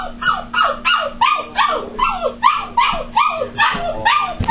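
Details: A new puppy yelping in a steady run of about a dozen sharp, downward-sweeping cries, each roughly a third of a second apart, over a faint constant hum.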